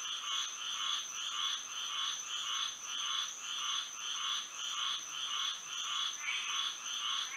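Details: Night frog chorus in Florida by moonlight, many callers overlapping in rhythmic bursts of bright, rasping notes nearly twice per second, over a constant high-pitched insect drone.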